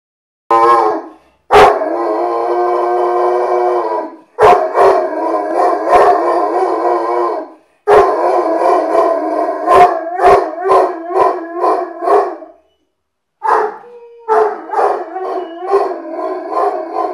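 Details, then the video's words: Irish Wolfhound named Murphy howling indoors because it is nearly time for his owner's girlfriend to come home; long sustained tonal howls broken by short barks, then a run of choppy wavering howl notes. "Irish Wolfhound Howling"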